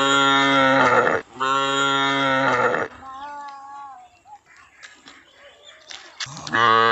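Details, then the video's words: Cow lowing: two long, loud, harmonic moos of about one second each, a quieter wavering tone after them, then a third moo beginning at the end. "Cow sounds"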